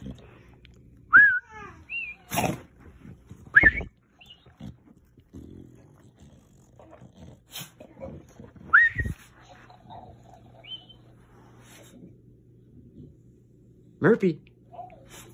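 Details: Bulldog reacting to a talking cactus toy: a few short, high, whining yelps that slide downward, scattered through the clip with quiet gaps between them, while a person keeps calling the dog and asking what that is.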